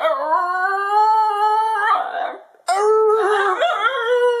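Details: A male Basenji howls in a long, steady, gradually rising tone that cracks into a rougher warble, pauses, then resumes with a sharp onset and a wavering, yodelling howl while his owner praises and encourages him.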